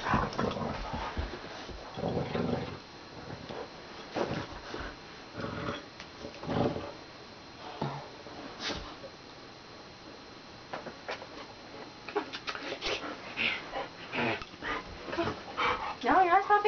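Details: Dory, a pet dog, playing tug-of-war indoors, giving low irregular growls and snuffling bursts with scuffling noises, brief louder growling toward the end.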